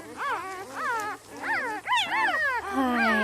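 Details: Newborn puppies of Misty, a dog who has just given birth again, whimper in a run of high, arched, wavering cries, five or six squeaky rising-and-falling yelps overlapping one another with little pause.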